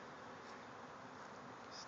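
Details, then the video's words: A bee swarm emerges from a hive in a backyard, thousands of insects in flight. The air is full of a constant broad droning buzz that neither rises nor falls. "Bees swarming out of a hive"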